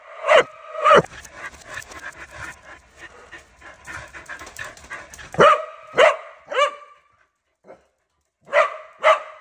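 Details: Corgi and husky barking loudly, a few sharp barks framing a stretch of raspy panting or huffing, then a short whine and two more barks.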